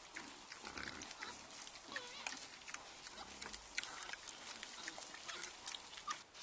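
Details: Sounder of wild boar feeding and wallowing in mud at night, giving scattered grunts and brief squealing notes amid constant squelching, splashing mud noise.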